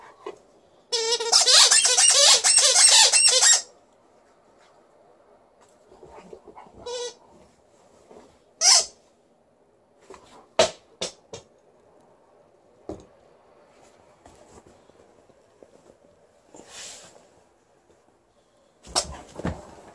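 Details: Female Alaskan Malamute Liza, in a good mood during a vocal show, lets out one strong wavering howl of about two and a half seconds, followed by a long quiet stretch broken by scattered short squeaks and soft clicks.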